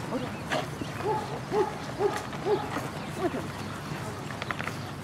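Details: German Shorthaired Pointer at an Erie Shores Kennel Club event of the All Pointing Breed Field Dog Club, June 5 2015: a run of short, arched, mid-pitched yelping barks about every half second, with some rural background noise.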